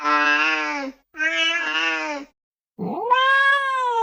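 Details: House cat giving two long, steady, nasal meows of about a second each, then a pause and a third meow that slides upward and holds, clean harmonics, no other sounds.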